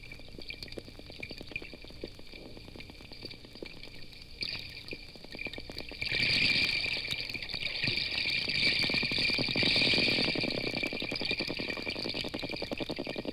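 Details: Rapid underwater clicking from a school of 20 or more wild bottlenose dolphins in the Gulf of Mexico off Florida, first heard about a quarter mile away, swelling into dense crackling trains as they swim toward and under the boat.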